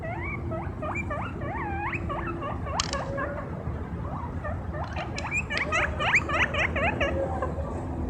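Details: Pet guinea pig running around on grass outdoors; rapid series of short whistled squeaks, each rising then dipping, repeated about four times a second, with a constant low rumble of wind or traffic behind.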